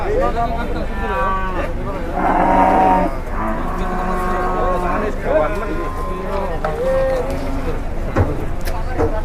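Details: Angry cattle being unloaded from a truck, lowing in long harmonic moos that rise and fall, overlapping with men talking nearby and a steady outdoor rumble.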